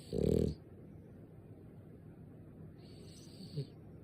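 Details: A French Bulldog asleep lets out one loud, throaty snore at the start, a rough low rumble of about half a second, followed by quiet breathing and a faint snuffle near the end.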